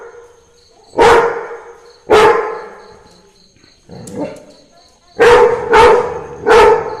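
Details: Labrador retriever barking in reaction to Christmas carols: loud, sharp single barks spaced about a second apart, a quieter muffled woof midway, then three quick barks in a row, with a faint steady electronic tone behind.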